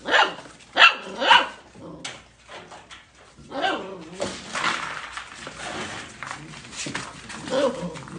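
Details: Golden Retriever puppies: a quick run of three yappy barks at the start, then softer overlapping yips and grumbles over a busy noisy background.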